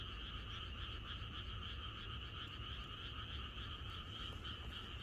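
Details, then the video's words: Countryside frogs in Korea sing as a chorus the night before rain: an unbroken wall of overlapping croaks forming a steady buzzy hum, with faint rhythmic pulsing and low rumbling underneath. "개구리들의합창#비가 오려나?이것이 자연의 소리 ~개구리들의 합창"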